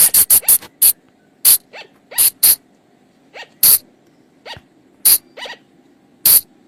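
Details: Call of a flying lemur (bang, phung chong) from the forest, used for luring at night: a quick cluster of hissy, explosive bursts, then spaced single bursts and faint upward-sweeping squeaks against low background hum.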